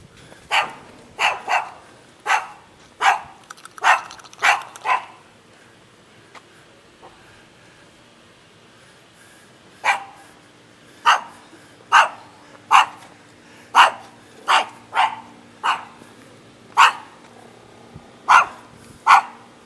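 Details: Shaggy dog in Jeonju, North Jeolla Province, Korea, barking steadily in two runs: a quick series of about eight barks, a pause of several seconds, then about ten more evenly spaced sharp barks.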